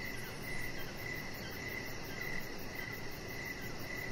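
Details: Crickets at dusk on an outdoor deck. Regular short chirps sound about every 0.7 seconds. A quick, faint high pulsing runs steadily over broadband hiss.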